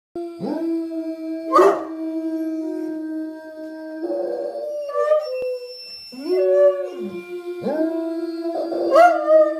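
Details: Three Otterhounds howling together in a howling contest, long sustained tones in overlapping voices with rising onsets, breaking off and resuming several times.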